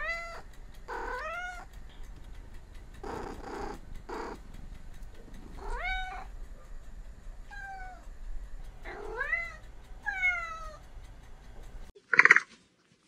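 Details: Cat giving a series of short rising-falling meows, some in quick pairs, with a few soft breathy sounds between and an abrupt different noise at the end.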